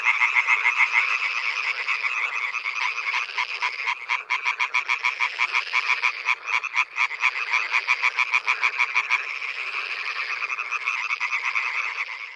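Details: Male European tree frogs (Hyla arborea) call loudly at night at a pond, in rapid, rattling bursts of loud, clipped croaks.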